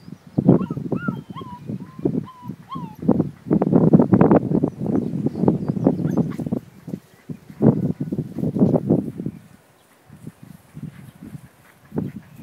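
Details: Five-week-old Leonberger pups bark and yap almost continuously in dense, uneven bursts, pausing briefly near the end, while a repeated whistled bird phrase sounds in the first few seconds.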